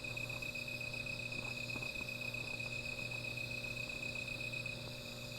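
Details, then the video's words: Small fire at night with insects singing: a bright, steady high trill that cuts off shortly before the end, soft crackles in the first seconds, and a low background hum. "Sound of Insects"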